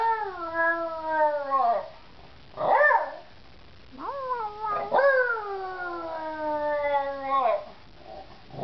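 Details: Pet beagle Georgie howling and singing with a bit of persuasion; two long mournful howls slowly sliding downward, each introduced by a quick rising yip, with quiet gaps between.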